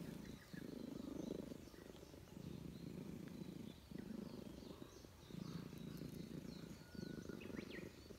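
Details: Tough-looking stray Russian Blue cat in a park purring throughout a petting session, happy at a reunion. Purr swells and fades in rhythmic bursts roughly every second and a half, with soft bird chirping behind.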